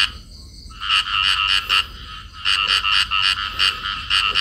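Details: Field frogs calling while a pair clings together in amplexus. Two bursts of quick, buzzy, nasal croaks are separated by a short pause, about four to five notes in each burst. Soft low background rumble.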